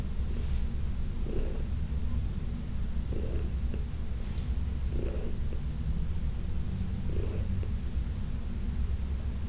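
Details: Low, even purring from Heidi, an elderly rescued cat, during a June massage session; a constant throaty drone with gentle breathing accents recurring at regular two-second intervals.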